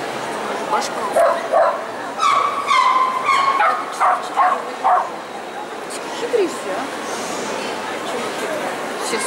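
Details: Poodle named Lyalya at a qualifying competition of the CACAG show "Zooshow in Gavan", 29 March 2015; a burst of sharp, ringing barks over the first five seconds, then quieter yips under steady hall chatter and voices.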